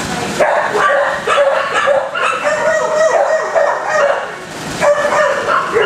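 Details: Kennel dogs keep up a steady barrage of barks, several animals calling over one another in short, sharp bursts with high yips in between. The din never drops into silence.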